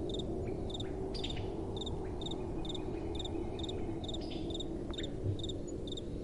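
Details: Crickets calling at night amid soft wind: evenly spaced short chirps, roughly two per second, over a dense low rumble of wind and background noise.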